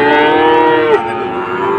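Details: Sahiwal bull at a cattle market in Dhaka, Bangladesh, on 16 September 2024, where farmers are buying bulls: a loud, drawn-out tonal moo held steady for about one second, then dipping and trailing off into a lower, fainter tone.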